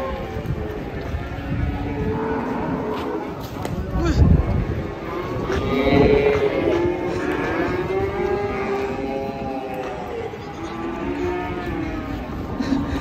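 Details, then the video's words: Angry cattle in a compilation of raging cows, long harmonic moos rising and falling through the clip, mixed with men's shouting voices and crowd noise. "SAPI NGAMUK"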